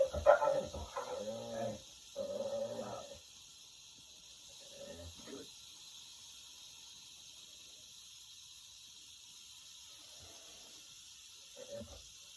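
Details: Pet dog vocalizing at a rattlesnake with short whiny, moaning bursts, clustered in the first three seconds, then sparse faint whimpers over a steady background hiss.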